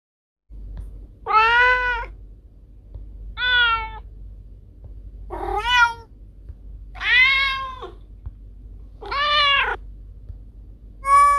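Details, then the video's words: Cat meowing, a sound said to scare away rats: five long harmonic meows, each about a second, spaced roughly two seconds apart, some rising then falling in pitch, over a low steady hum. "Suara Kucing Pengusir Tikus"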